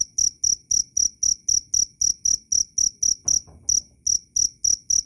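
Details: Cricket chirping loud and clear: high, pure-toned chirps with a fainter upper overtone, repeated about four times per second in a steady pulse, with one brief skipped beat midway; background otherwise quiet.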